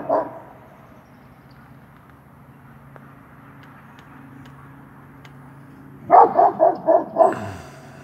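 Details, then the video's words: German Shepherd of working line stock barking while guarding its yard: one short bark, several seconds of near silence, then a rapid run of five loud, rough barks spaced about a quarter second apart. "German shepherd guarding yard"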